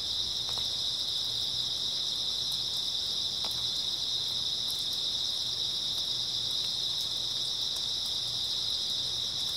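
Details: A chorus of grass insects on an early autumn night, steady and high, a continuous shrill trill at even loudness throughout, broken only by occasional tiny clicks over a quiet low hum.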